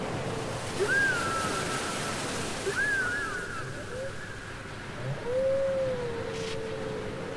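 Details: Whale song from a cassette recording: a few drawn-out tonal moans, some sliding downward and one long rising-then-level note near the end, over a steady hiss of background noise.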